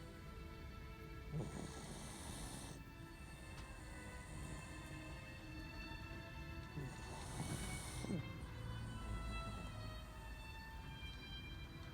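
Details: Soft background music with steady tonal lines and low hum, two brief hissy swells, no animal sound evident.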